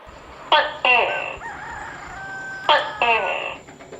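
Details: Tokay gecko calling in Seram forest: two loud harmonic two-part calls about two seconds apart, with a thin level tonal sound held between them.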